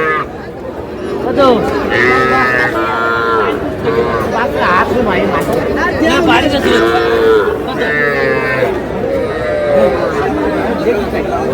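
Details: Calves mooing at a busy livestock market in Madaripur, Bangladesh, where small bull and heifer calves are being bought on 30 June; several overlapping harmonic bellows, rising and falling, with steady chatter of buyers and sellers throughout.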